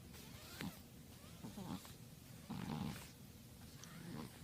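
A Persian cat breathes noisily in low, snuffling bursts, each rasping breath about a second apart.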